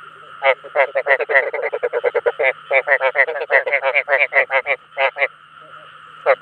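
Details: Rice field frogs calling to lure others of their kind, with quick, buzzy, pulsed croaks packed closely together, thinning into scattered notes and a last croak near the end, over a low continuous hum.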